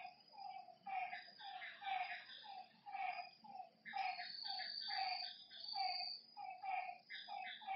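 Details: After dark by a lake, many frogs trade short low croaks in bursts and pauses, with a high, even insect drone running throughout.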